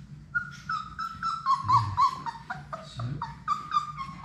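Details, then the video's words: Labrador Retriever puppies, six in Sadie's litter, at play in an indoor puppy room: quick, squeaky whimpers and yelps follow one another about four a second, some wavering upward, over a steady low room hum. "Labrador puppies at play!"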